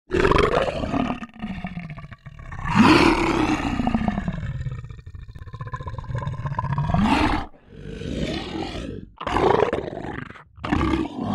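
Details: Lion roaring: deep, drawn-out roars that swell and fade, mixed with rough growls, several long calls with abrupt cuts between them.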